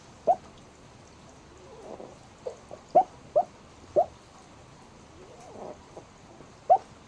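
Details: Sleeping black pug giving brief squeaky hiccup-like chirps, roughly one every second but unevenly spaced, with soft breathing between them in a quiet room.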